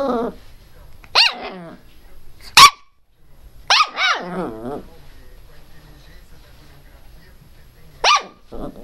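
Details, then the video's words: Teco the Pinscher, a pet dog barking angrily and loudly: single sharp yapping barks spaced irregularly, a short double bark near the middle, and a last bark near the end, with quiet pauses between. "pinscher latindo bravo - pinscher latindo alto - cachorro pinscher latindo"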